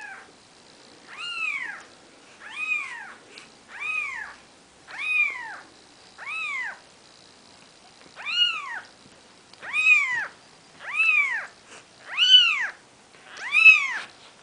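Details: Maine Coon kittens on their fourth day, Nikita's litter, keep up a run of about eleven high, rising-and-falling mews, steadily spaced near one per second and growing louder toward the end.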